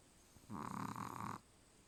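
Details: Deeply asleep, the Chihuahua Charlie produces a single fluttering snore of almost a second. The steady buzzing drone starts and stops sharply, with soft room quiet on either side.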